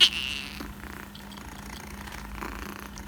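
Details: Short-legged female Munchkin kitten, recorded May 2021, giving its husky call rather than a typical meow: one bright, brief, high cry at the very start, followed by quiet background hum.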